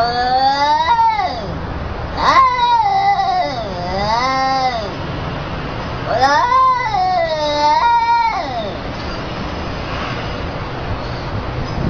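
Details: Cat getting told off, answering with a series of plaintive, undulating meows, some short and some drawn out, in two bursts separated by a quieter gap, steady background hiss throughout.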